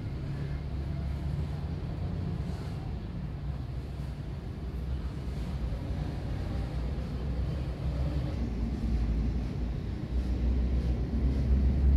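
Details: Continuous low vehicle rumble that slowly grows louder, with outdoor background noise and no audible animal.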